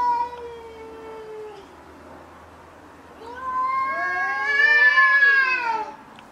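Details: Domestic cats fighting: a fading level yowl, a short lull, then a louder wavering caterwaul that rises and falls in pitch over about three seconds.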